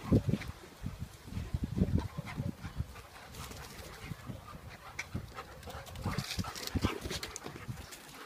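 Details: Two German Shepherd x Norwegian Elkhound cross dogs, Opie aged one year and black Boba Fett aged eight months, fighting in a garden: low rough growling grunts and snuffling bursts throughout, with scuffling noise.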